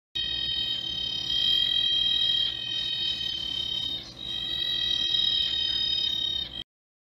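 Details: A Clicking stream frog, labelled as a screaming tree frog (Litoria quiritatus), gives its mating call: long, drawn-out, nasal wailing notes, each held for several seconds.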